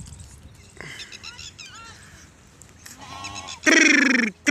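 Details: Herded sheep and goats grazing near Indore, Madhya Pradesh, tended by Rabari pastoralists; quieter, fluttering bleats rise and fall, then one loud, nasal, quavering bleat lasts about half a second near the end.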